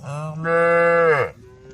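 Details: A mother cow going berserk while the herd grazes and calls to friends; one low moo that rises into a strong, sustained bellow, then sags in pitch and cuts off after just over a second.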